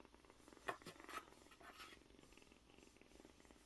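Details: Kitten about one month old, likely male, rescued from a market vegetable shop and kept indoors, purring while touched: a soft, steady pulsing rumble after a few sharp handling knocks at the start.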